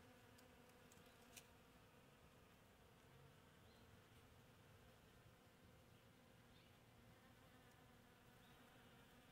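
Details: Continuous humming drone of bees working palm flowers in bloom, an even layered buzz without breaks, plus a few faint ticks and a soft tap near the start.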